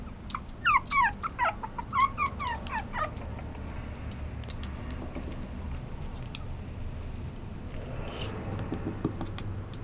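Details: Chihuahua-Papillon mix dog letting out a burst of thin, falling whimpering yips during the first three seconds, followed by quiet low-pitched rumbling background and a faint rustle.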